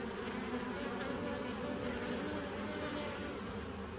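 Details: Massed buzzing from bees in a 2017 nucleus colony, 27 September 2018: a thick, even drone with brief wavering higher hums from single bees passing close.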